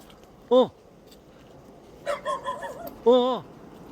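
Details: Weaned puppy, raised two months in an apartment and then given to an acquaintance, met again one month later in an emotional reunion. Two loud, short arched whining yelps with a wavering string of whimpers between them. Quiet background, faint human voices nearby.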